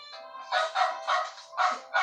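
A dog barks in a series of short, harsh, evenly spaced yelps.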